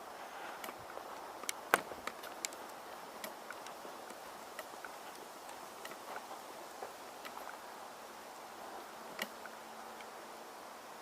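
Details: Quiet outdoor background hiss with scattered sharp clicks and taps, like footsteps or knocks, and no animal voice.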